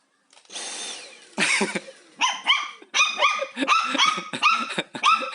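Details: Haengbok, a pet dog both fascinated and frightened by the vacuum cleaner at home, barks insistently at roughly one bark per second over a steady background whoosh, each bark high and sharp.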